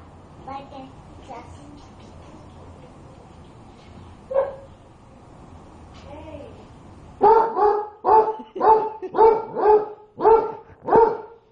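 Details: Pet dog, apparently called Popi, barking at its hot food to cool it. Faint whimpers and a voice come first, then about seven loud, sharp barks follow in a steady run, roughly two per second.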